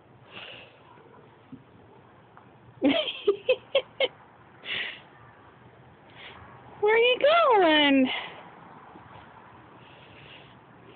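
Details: Neighbour's cat on a visit, giving one drawn-out harmonic meow that climbs and then falls away late in the recording, with human speech and sharp clicks heard earlier.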